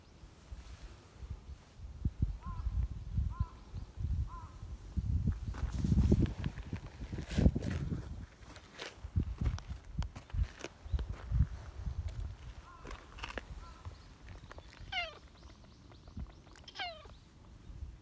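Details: Chatty silver tabby street cat by a bench. Soft brief meows early on are followed later by two clear drawn-out meows that slide downward. Footsteps, rustling and low outdoor rumble run throughout.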